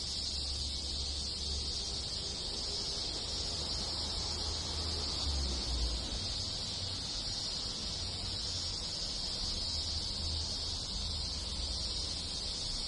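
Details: In a Japanese village in summer, many cicadas and other insects fill the countryside with a continuous sizzling, high-pitched wash of sound, unchanging for the whole stretch, over a low background rumble.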